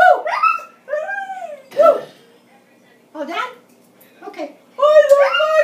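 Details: Scottish Terrier joining a grandmother's singing with brief howled notes and yips separated by pauses, one phrase sliding down, indoors with a human voice mixed in.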